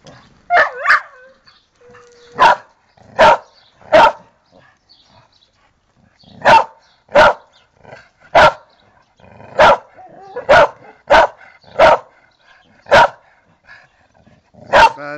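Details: A female dog named Pantera, also called Tera, delivers a long series of about fifteen crisp, short barks, some in quick pairs and others separated by pauses of a second or two, against a quiet background.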